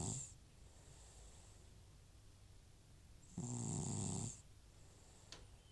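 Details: An aged rescued house cat named Butcher, FIV-positive, snores in deep sleep: a rough snore ends at the start, then a full one-second gravelly, hissing snore follows after a quiet pause.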